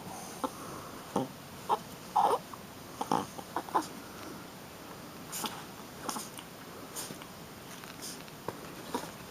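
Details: Female Shih Tzu puppy playing rough indoors. Brief high whimpering squeaks come in scattered bursts, loudest near the second mark. Soft scuffling clicks and rustling from play run between them, and a person coaxes quietly.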